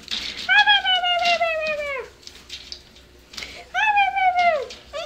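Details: Playing dachshund-basset mix puppies, seven weeks old. Two long, nasal whines each fall in pitch at the end, with a soft snuffle between them and a brief rising squeak at the close.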